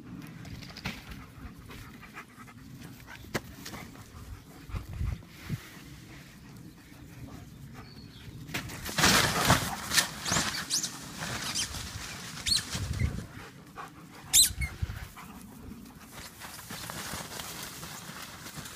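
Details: Playful German Shepherds, one panting hard: quick airy in-and-out breaths about twice a second, steady and soft, then a louder burst of heavy huffing midway, easing off toward the end.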